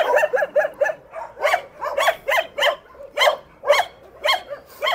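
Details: Shelter dogs living in cages bark in a steady series of sharp, harmonic-rich barks, about ten in five seconds and evenly spaced, with some overlapping as if from more than one dog.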